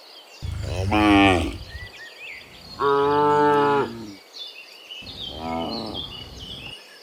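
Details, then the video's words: Cows mooing in the morning while returning from the field to the barn: three drawn-out harmonic moos about a second each, the loudest first, with bird chirps in the background. "Dozens Funny Cow Sounds in the Morning, Returning from the Field to the Barn, Cow Sounds"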